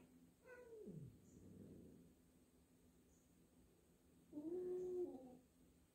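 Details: Indoor meeting of two cats, Jill the black cat wary of a new black-and-white cat; two faint meows, the first sliding sharply downward, the second a low flat drawn-out note, quiet room hum behind.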